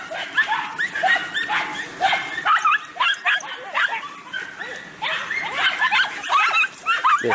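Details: Podenco Andaluz dogs giving chase to a rabbit while hunting: bursts of high yelps and barks, roughly two per second, mixed with a man's excited voice urging the dogs on.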